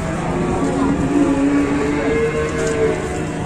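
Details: Cattle arriving at an Indonesian livestock farm give a sustained moo that holds one low tone, then steps up to a higher held pitch near the end, with constant background engine noise and a man's voice.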